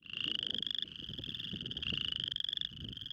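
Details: Spring peepers calling for mates at a small pond early in spring. Overlapping high rising trills, each near one second long, fill the recording, with faint low rumbling and water noise beneath.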